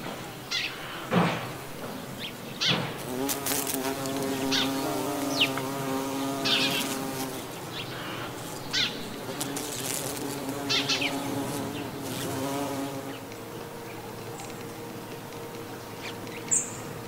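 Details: Buff-tailed bumblebee in autumn countryside of the Gulf of Morbihan, Brittany, France, on 18 November 2011, with several other hymenopterans present: a droning, harmonic-rich buzz that wavers up and down in pitch, strongest mid-recording, with scattered clicks and brief high chirps.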